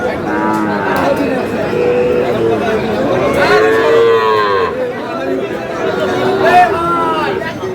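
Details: Sahiwal bull at a cattle market in Kurigram, Bangladesh, giving drawn-out harmonic moos with arching pitch, several in a row, under steady crowd chatter and men's voices.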